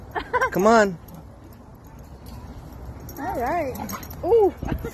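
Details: Happy German Shepherd meeting friends at a playground: three rising-and-falling whining yelps, one near the start and two close together toward the end, with people talking in between.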